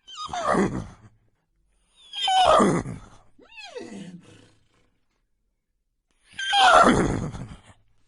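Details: Horse giving harsh, breathy whinnies in three loud bursts with a descending tremulous cry between them, sounding rough and loud against silence.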